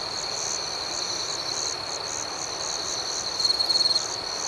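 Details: Crickets chirping at night: a high, even ringing drone with regular pulses about four per second, then a quick rattling series of louder chirps near the end.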